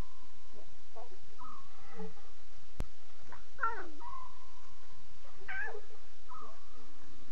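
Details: Several rough, meow-like cries from lion cubs at 2:40 a.m. on 5 October 2016, clustered mid-clip, amid a background of flat, sustained whistled tones.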